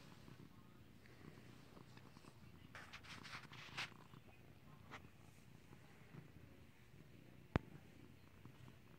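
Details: Domestic cat being clicker-trained to ring a bell, purring in a steady low rumble throughout, with a sharp click near the end and scattered brief rustling noises in the middle.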